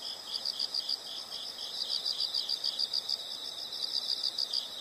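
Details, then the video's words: Insects in a nature sound recording, a soft chorus of high pulsed chirps repeating about three times a second over a faint background hiss. "the sound of insects"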